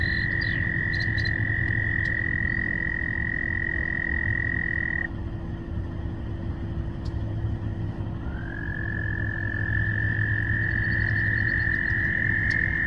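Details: A courting frog gives a long, steady high trill, pauses, then starts again with a slight rising onset.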